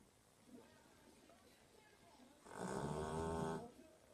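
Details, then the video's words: Dog asleep, letting out a single rough, throaty snore lasting about a second after a quiet stretch of soft room noise. "Funny Snoring Dog Compilation 2018"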